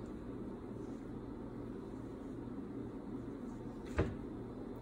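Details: Quiet indoor hum with one sharp click near the end, and no animal voice.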